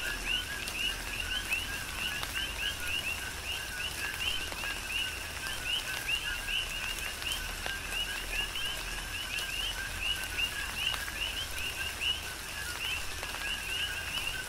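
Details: Coqui frogs calling together during a tropical rain shower, Big Island, Hawaii; dense overlapping two-part chirps rising at the end, repeating without pause over a constant hiss and patter of falling rain.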